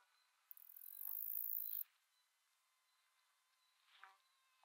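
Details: A male Greek predatory bush-cricket (Saga hellenica) sings a single dry, hissing burst of stridulation lasting over a second, recorded 14 July 2023 at Aspraggeli, Epirus, Greece.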